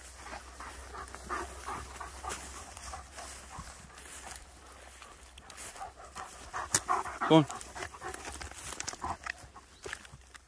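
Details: German Shepherd panting on a forest walk near Hawick, one of two dogs named Nico and Zeeva, recorded on a phone. Breathy, rhythmic bursts of panting over rustling forest-floor steps, with a brief sharp chirp in the middle.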